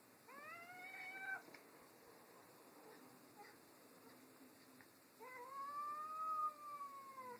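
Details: Two household cats quarrel over a new toy, giving a short bent meow followed after a pause by a longer, louder, arching wail with rich overtones; faint background hiss throughout.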